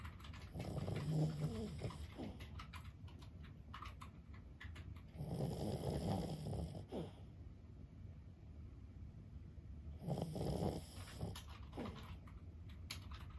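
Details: Sleeping 15-year-old Boston Terrier Lulu snores at home. Three long, low, rasping snores come about five seconds apart, with soft room hush between breaths.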